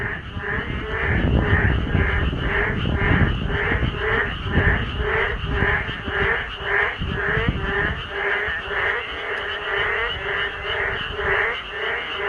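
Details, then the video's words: Frogs chorusing in a group on a rainy day: loud, dense croaking with pulsed calls repeated roughly twice a second, many voices overlapping over a low rumble of rain. "개구리 합창단~"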